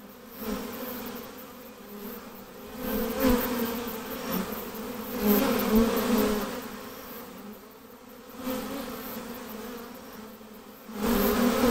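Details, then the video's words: Honey bee swarm being hived, a dense droning hum with a steady low tone and overtones, swelling and fading in waves every few seconds, with brief handling knocks. "How To Catch Honey Bee Swarm"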